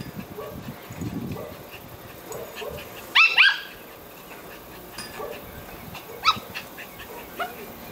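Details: Pet poodle playing tetherball gives one sharp, high-pitched yelping bark in the middle of the clip. Softer short whines come before and after it, over light tapping and a quiet background.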